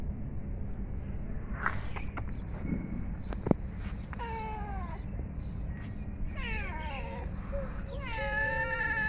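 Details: Hungry cats eating food. Three bursts of sliding, falling, harmonic meows come midway and near the end, over a steady low background hum, with a sharp click earlier.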